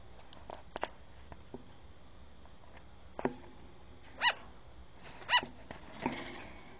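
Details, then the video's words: A platinum sugar glider gives two sharp, high, yappy barks about a second apart, with light clicks around them. "Delta my platinum sugar glider barking"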